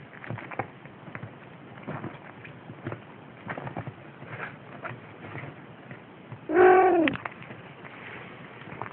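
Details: Wrestling, biting Siamese kittens nearly six weeks old, recorded 6 December 2011; after several seconds of quiet rustling and scuffles, a single short, falling meow rings out near the end.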